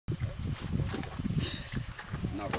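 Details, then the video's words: Pig in Cuba feeding on coconut, giving low, rough grunts in quick rhythmic bursts, with chewing and snuffling noises close by. "Prase si pochutnává na kokosu, Kuba"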